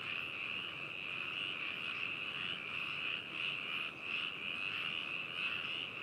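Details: Many frogs calling in Hakushu, Hokuto, Yamanashi, Japan, 4 May 2018, binaural stereo recording: a continuous buzzing, trilled chorus with gentle rises and falls, one brief dip near the middle.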